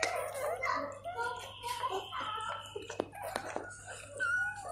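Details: Newborn Golden Retriever puppies being cleaned by their mother, giving thin, high, wavering squeals and whines in quick overlapping bursts, with soft licking and shuffling noises in a small indoor room.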